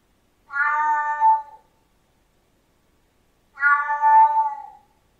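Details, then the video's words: Siamese cat giving two long, drawn-out meows about three seconds apart, each richly harmonic and steady in pitch, with clean silence around them. "Tunog ng SIAMESE CAT | Sound of SIAMESE CAT"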